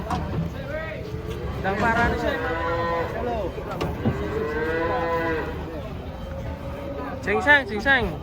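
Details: Giant cow unloaded from a truck and stepped on by its companion. Several bellowing moos, rising then sagging, overlap with people calling out nearby; a sharper cry bursts in near the end.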